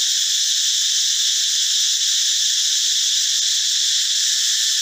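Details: Loud forest cicada, the sound made by the male from its abdomen, calling in the morning or at dusk: an unbroken, shrill, hissing buzz spread across high pitches, constant in loudness throughout, nothing else audible.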